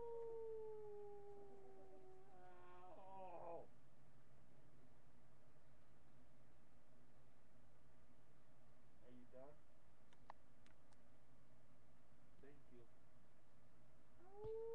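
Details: Howling miniature pinscher Marty, webcam recording from July 8, 2011, morning: a long level howl slides into a rapid wobbling yodel, then short broken yips and clicks, and a fresh rising howl begins at the end.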